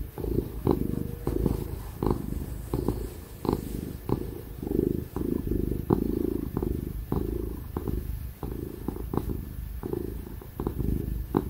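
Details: Tig, a happy ginger cat, purrs loudly while being petted and cuddled, a steady low rumbling pulse broken by soft rhythmic bursts, with a laptop fan humming in the background.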